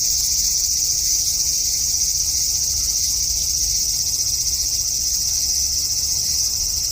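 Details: Hot summer evening, 5 August 2012: a cicada in a cherry tree in the front garden buzzes in a shrill, steady, slightly pulsing drone, with faint low-pitched background noise.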